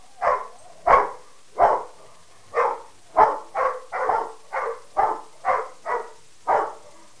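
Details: Three dogs, Harley a Peke mix, Sadie a Rottweiler and Wyatt a Mastiff/Pitbull, trade barks at each other: a steady series of around twelve coarse mid-pitched barks, quickening in the middle.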